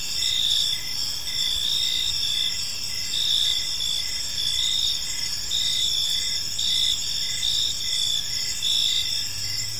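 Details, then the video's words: Crickets chirping on an evening in a peaceful park, a dense steady chorus of high trilling pulses with a bright tone near the top and softer repeated chirps below, continuing without pause. "Park Serenade: Cricket Sounds in a Peaceful Park"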